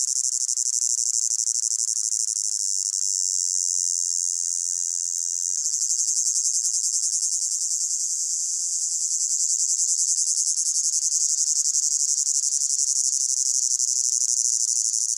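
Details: Many crickets singing in a hot summer meadow, a layered soundscape: continuous piercing high trilling that swells gently and changes grain midway, steady and without pauses or other animals.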